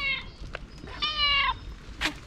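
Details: Hungry black and white female cat meowing loudly on the street: a short meow then a longer, strained falling meow lasting half a second, with steady low traffic-like rumble underneath.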